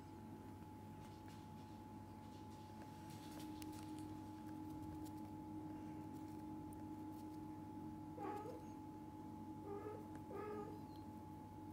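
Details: Indoor cat family of a mother, father and kittens: after a quiet stretch, a few short, soft meows come close together near the end, over a steady electrical hum and low room noise.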